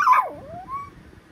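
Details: Talkative Pomapoo puppy letting out a single whine that starts high and loud, drops sharply, then rises into a thin fading tone.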